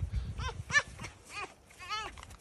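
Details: Pet fox complaining in a home: three short, strained, harmonic whines spaced over two seconds, the last the clearest, over low rumbling handling noise.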